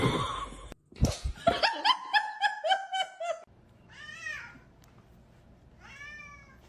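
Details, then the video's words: Kitten meowing indoors: a quick run of about eight short, bright, harmonic meows over two and a half seconds, then two separate drawn-out meows that rise and fall, spaced about two seconds apart, in a quiet room. "kitten meowing"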